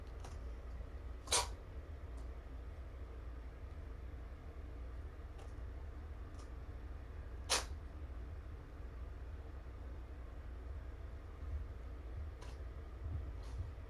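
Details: Indoors, kitten Spock of the fostered Roswell litter sneezes, startling his sister Ziggy as she plays with a spring. Two brief explosive hissing bursts come several seconds apart, with faint clicks and a low steady hum between them.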